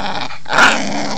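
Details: Bull Terrier, a female, playing while swinging on a rope: a short, rough, noisy growl that swells briefly in the middle and then fades, over a steady low background rumble.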